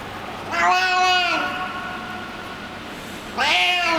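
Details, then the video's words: Hungry street cat that hangs out in a building's garage basement, making odd happy noises while eating food it was given: two drawn-out harmonic meows, the first about a second long, the second starting with a rising sweep. "Hungry street cat eating and making funny noises at the same time"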